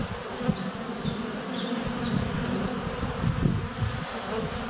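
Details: Honey bees at the hive entrance in February sunshine, close to a GoPro Hero 7 Black, some landing on the camera; low rough humming broken by soft bumps and flutters from bees close by.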